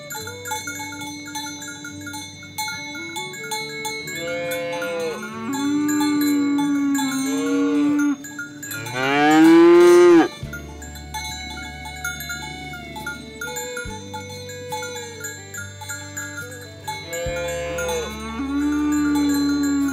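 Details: Oxen being herded along the way to the farm barn, with a cow calling friends to the pen. Several drawn-out, rising-then-falling moos in the middle and near the end, one loud and strained, over steady background music with bell-like chimes.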